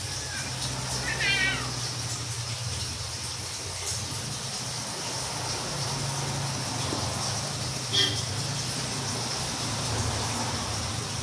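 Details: Domestic cats playing while talking: one brief, descending, harmonic meow near the start, then a short high chirp around eight seconds, over a steady low hum.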